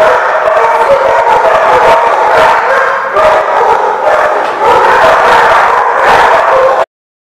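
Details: Dogs barking at The Barking Lot on 11/7/14. Many overlapping barks and yips form a loud, continuous, harsh din with quick repeated bursts, then sudden silence at the end.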